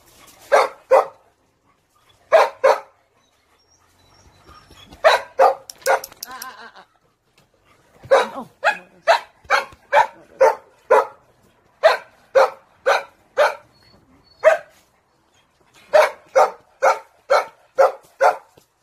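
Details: Dog giving rapid runs of sharp, clipped barks, often doubled, with a brief rough growly stretch and a short pause before the barking resumes in steady strings of about two barks per second.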